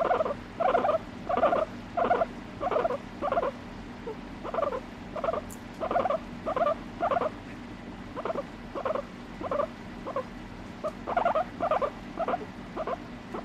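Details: A pet guinea pig with no background music: quieter, evenly spaced double-toned squeaks, about one and a half per second, keeping a steady chattering rhythm throughout.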